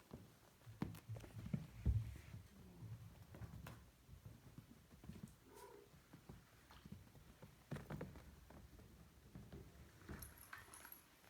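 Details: Bengal kittens at play indoors, with a low rumbling purr that rises and fades in uneven pulses, broken by soft knocks and bumps of movement in a small room.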